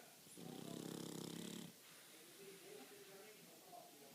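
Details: A pet pug, which sleeps all night and day, snores in its sleep with one long, rattling, fluttering breath, followed by a person speaking softly.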